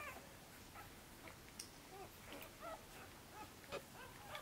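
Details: Six-day-old Korthals Griffon puppies from Djip's litter in the nest, busy and growing fast, give faint, scattered high squeaks and short whimpers against a low hiss of room noise.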